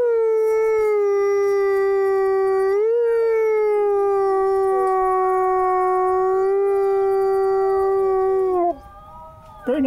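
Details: Wolf at a wolf conservation center in South Salem, New York, giving a long sustained howl that holds a steady mid pitch for about eight seconds, with a brief upward inflection near three seconds, then breaking off into a short wavering end.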